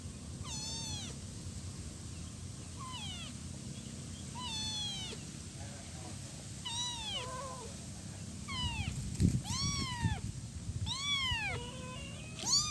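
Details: Persistent calls from a one-week-old kitten seeking its mother: around ten short, rising-and-falling meows at uneven intervals, growing more frequent toward the end, with a few soft thumps and low hum.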